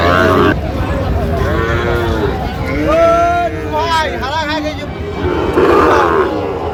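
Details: Sahiwal bull calf at Ambari livestock market, 18 August 2025, with a Barishal farmer buying: a mid-length lowing moo rising and falling in pitch, surrounded by men talking and busy market chatter.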